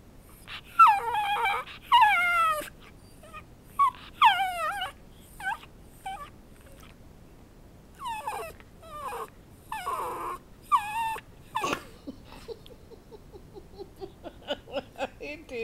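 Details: Whiny pet dog Bowzer, learning to bark on cue when chicken is held up, pours out a long run of high falling whimpers and short yips, some overlapping, thinning to small squeaks near the end.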